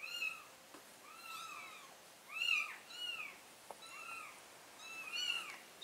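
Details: Mother cat moving her four kittens to a new spot; soft, thin meows repeat with pauses, several overlapping arched cries of similar pitch, fairly faint and spread across the clip.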